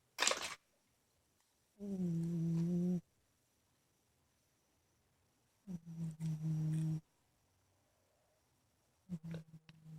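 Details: Ninnie, a big pet cat, asleep and snoring in his bedroom: humming, tonal snores about a second long, each rising slightly in pitch, repeating every three to four seconds with quiet pauses between.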